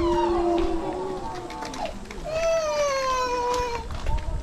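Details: Gray wolves howl at Asahiyama Zoo, Asahikawa, Hokkaido, in long, drawn-out tones, one voice sliding slowly downward over a murmur of background noise.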